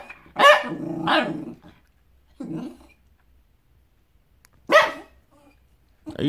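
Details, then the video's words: Benji, a pet dog reacting to dogs outside, lets out a few scattered gruff barks with quiet gaps between them, ending on a short bark. "Benji barking at dogs outside"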